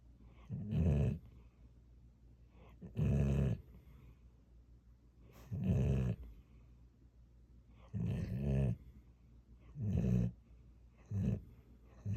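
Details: Sleeping pet dog snoring in a small room: six deep, throaty rumbling snores with a faint whistle on top, spaced roughly every two seconds, quiet between them.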